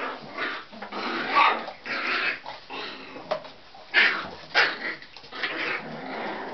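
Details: A litter of Tibetan Terrier puppies born October 23 growl and give small playful barks, rough noisy bursts coming irregularly, a couple of louder yaps standing out in the middle.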